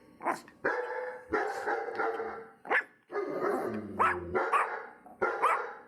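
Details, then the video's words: Several dogs barking together in a dense, overlapping chorus of short yaps and deeper barks, with some higher yelping calls near the end. "perros ladrando"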